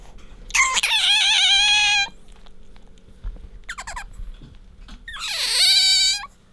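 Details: Bingo, a pet otter, squeaking as it rubs against its owner: a wavering drawn-out squeal lasting over a second, a short buzzy burst, then a rising and falling whistled squeal near the end.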